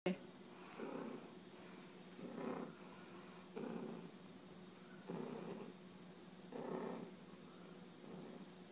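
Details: A domestic cat purring while bunting its owner, the low rumbling purr swelling in soft bursts about every one and a half seconds with quieter gaps between breaths.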